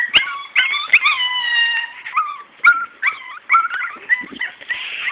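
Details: Morkie puppies, Maltese and Yorkie mix from parents Soapy and Max, crying in long drawn-out high whines, one held steady for nearly a second, then shorter wavering squeaks and yips.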